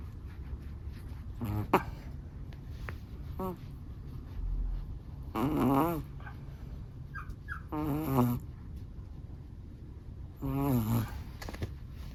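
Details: Long-haired black and tan Chihuahua snoring in deep, relaxed sleep: three separate buzzy, vibrating snores spaced a few seconds apart, each lasting about half a second, with soft snuffling breaths in between.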